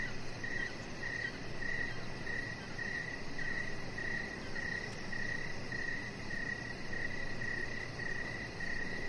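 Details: Evening crickets heard from a deck, high-pitched chirps pulsing at an even pace about twice a second, with a low steady rumble of background noise underneath.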